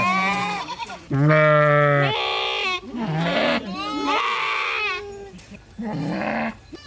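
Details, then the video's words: Sheep bleats: a long steady baa, then several shorter, rougher, quavering bleats, with brief quieter moments between calls. "sheep sounds - Individual & sounds || Learn Baaing, Bleating, Yelling, Screaming & Meh Sound Effects"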